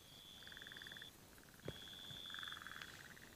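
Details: Near rain-filled dams where egg-laying has started, burrowing frogs call to one another in soft rapid pulse trains lasting about a second, several overlapping, beside a continuous thin high-pitched whine and a single click.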